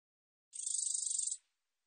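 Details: Geomeun-te-baejjangi, a katydid of Korea, from a 2020 National Institute of Biological Resources recording: a lone sizzling burst of rapid ticks, high and dry, fading out after under a second, with nothing else audible.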